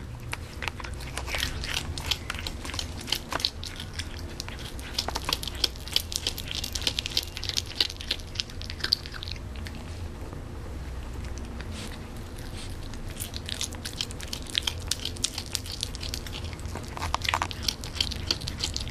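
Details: Canadian Sphynx cat eating, producing dense runs of sharp crunching and chewing clicks for most of the stretch, with short quieter gaps between bursts over a steady low hum.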